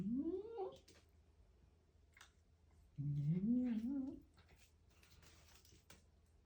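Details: House cat eating a grasshopper utters two moaning calls: a first rising, strained cry, then a longer low wavering growl-like meow, separated by crunching and clicking sounds.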